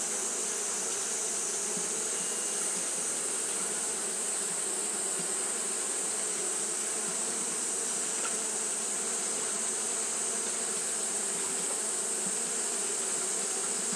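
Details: Japanese honey bees fanning throughout a hot day: a constant whirring hum of many wingbeats, steady in loudness, with a bright sustained hiss overhead.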